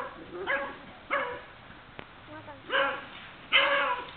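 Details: Beagle giving four loud harmonic barks at irregular intervals, the last two longer and stronger, with a faint click between.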